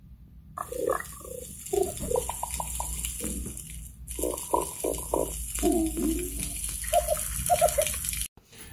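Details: An underwater fish chorus of overlapping grunts and knocking pulses rises above a steady ocean hiss. Many fish species chorus like this as part of mating and feeding behaviour.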